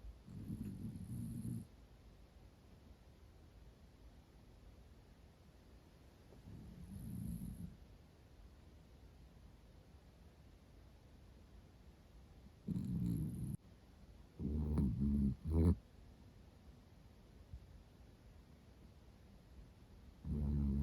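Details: Miniature Dachshund Roro, female, born June 2010, snores in deep sleep; low, rattling snore bursts recur roughly every six seconds, with a quick cluster of choppy snorts near the middle and long quiet gaps.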